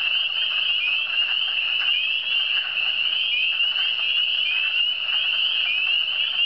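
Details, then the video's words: Frogs calling in the Eastern Townships: a dense, steady chorus of high, short, upslurred peeping notes overlapping continuously, forming an unbroken shrill wall of sound with no other clear sounds. "Le son des grenouilles"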